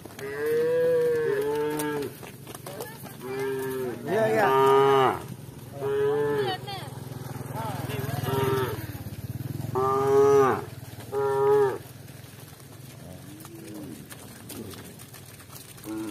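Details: Several village cows moo repeatedly while walking together with shepherds and cowbells, giving deep drawn-out overlapping calls with a low rumble beneath.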